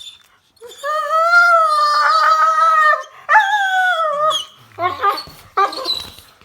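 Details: A Rottweiler puppy gives a drawn-out, singing whine that bends and wavers in pitch, followed by shorter yodelling grumbles, talkative noises showing it is happy.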